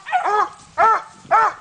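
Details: Coonhound barking while treeing a raccoon during a coon hunt: three loud, hoarse, harmonic bawls, each about a third of a second, spaced roughly half a second apart.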